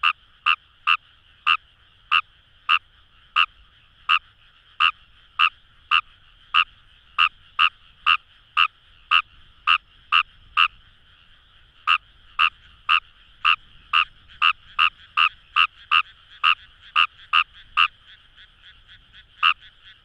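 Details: Long run of Fejervarya kawamurai croaks from paddy fields at Itoshima, Fukuoka: short, dry clicks repeated roughly twice a second, pausing briefly midway, over a steady hum of more distant frogs calling.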